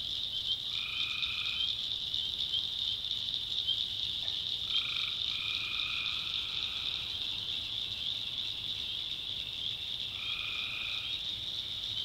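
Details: At night in the backwoods of North Carolina, a tree frog gives four drawn-out, even-pitched calls, one doubled, scattered across twelve seconds against an unbroken shrill night chorus of swamp insects and frogs.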